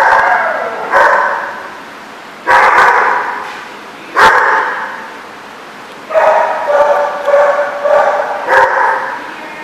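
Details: Recorded 10/10/14 at The Barking Lot: one dog's barks ring out singly at first, then quicken into a rapid run of five or six barks near the end, all with heavy echo.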